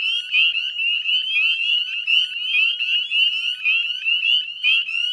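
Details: Spring chorus of many northern spring peepers, Chezzetcook salt marsh, Nova Scotia, 18 May 2020 at dusk: high, sharply rising peeps crowd together into an unbroken, ringing trill-like din.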